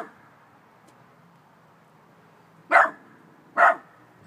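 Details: Chihuahua mix puppy indoors barking at an unseen "ghost": two short, sharp, high-pitched yaps about a second apart after a quiet stretch, faint low household hum underneath.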